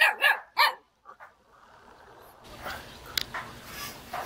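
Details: Jindo puppy in Jeonju, North Jeolla, Korea, calling and wagging its tail to invite play: three short sharp yelping barks in the first second, then quiet background rustle and faint scattered knocks.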